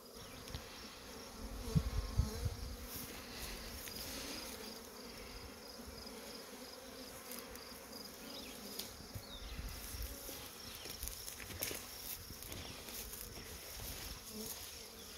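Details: Honey bees swarming from hives kept through winter, with swarms everywhere: a steady low, droning hum with a soft, even texture throughout, and faint ticking above it.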